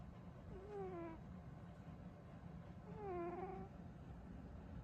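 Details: Burrito, a female cat, is sleeping and snores loudly. Two squeaky, whistled, slightly falling tones come with her breaths, about two seconds apart, over a low steady hum.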